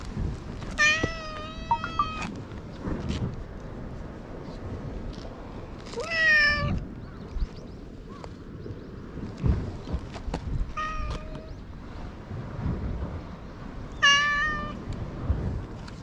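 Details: Island stray cat, filmed with a GoPro HERO8 as it roams and meets a man. Four rich harmonic meows, some rising then falling, spaced roughly four to five seconds apart, with steady low wind noise beneath.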